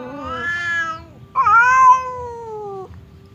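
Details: Pet cats Temon, hot-tempered, and Lelo, calm, trade threats through a partition as if preparing to brawl; a falling wail is cut short, then a louder, harsher yowl bursts out and tails off steadily downward.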